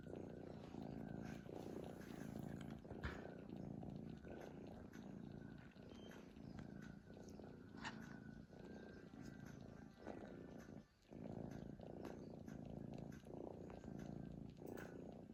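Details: Cat asleep, snoring steadily, its low buzzing rumble rising and falling with each breath at an uneven pace of about forty breaths a minute, broken by one brief pause.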